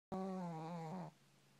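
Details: An adult female Shih Tzu snoring loudly while asleep. One drawn-out, buzzy nasal tone lasts about a second at a steady low pitch and drops slightly near the end, followed by faint room hiss.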